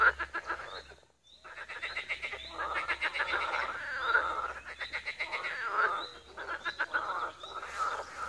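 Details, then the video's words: Several frogs croaking together at a pond in Wiry, Poland, pulsed rattling croaks overlapping almost continuously with brief pauses, a few thin high bird whistles above the chorus. "Żabi stawek, kumkanie, rechot żab"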